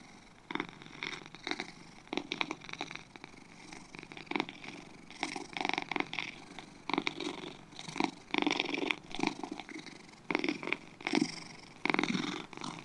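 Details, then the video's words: Two domestic cats purring close up, a steady raspy rumble broken into soft pulses that swell and fade with each breath, louder bursts every second or so, with no other sounds. "2 Cats Purring"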